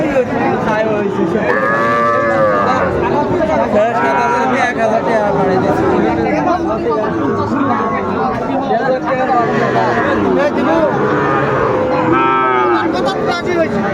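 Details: Young Sahiwal bulls at a busy Bangladeshi cattle market in Chapainawabganj, 19 September 2024. Repeated short bellowing moos come through dense crowd noise and men haggling over prices.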